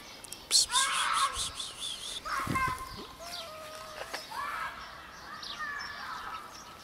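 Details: Four scared homeless cats gathering for food show up in a few short, rising-and-falling meows, some with a wavering tone, under steady chirping from small birds nearby.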